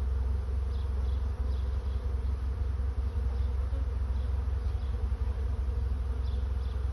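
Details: Swarming honey bees seeking a new home make a thick, continuous droning buzz over a strong, constant low-frequency rumble, with faint scattered higher clicks.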